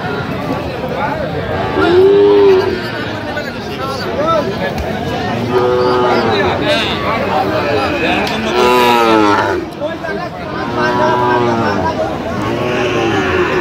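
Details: Sahiwal breed bull calf moos at a busy cattle market in Kurigram, Bangladesh, 9 November 2025, giving several short bending calls a few seconds apart over dense market voices and haggling.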